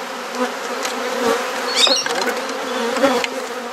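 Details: Honey bee colony buzzing during a garden hive inspection in Perth, Australia, as frames are exchanged. An even hum with a brief higher chirping scrape midway and light tapping sounds.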